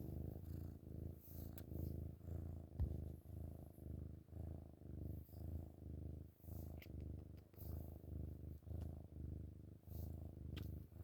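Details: Chubby kitten purring loudly while cuddling in the morning; a low, rumbling purr pulsing in steady breaths about twice a second, close and continuous, with faint rustling.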